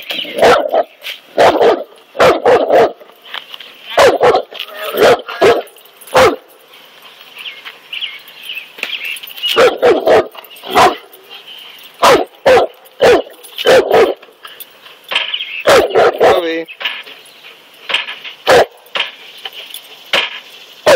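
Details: Cane Corso barking while confronting a king cobra: loud, deep, forceful barks fired in rapid clusters of three to five, broken by short pauses, with a faint high ringing background.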